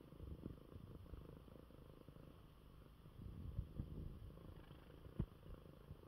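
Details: Pet cat Coco, recovering from illness, purring contentedly in his bed after eating; a steady low rumble that swells slightly midway, with a couple of sharp clicks.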